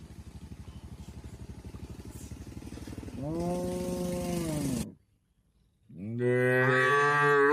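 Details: Cattle in a shed in the countryside, a rhythmic low pulsing engine-like hum, then a moo that falls off at the end, a brief silence, and a second rising moo.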